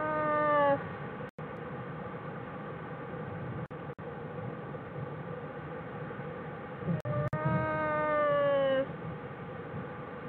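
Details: Den-dwelling bears on January 16, 2013: two separate harmonic calls, a brief one at the start and a longer slightly falling tone later, with quiet hiss filling the gap between.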